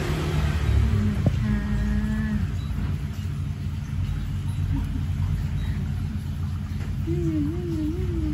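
A Siberian Husky gives drawn-out, wavering howls over a steady low rumble of engine noise.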